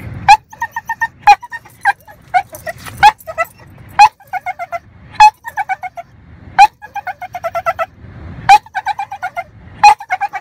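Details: Sally, a pet dog, makes comical high squeaky whining cries likened to a dolphin, each starting with a sharp rising squeal and followed by bursts of short harmonic yelps, repeated roughly every second in irregular runs.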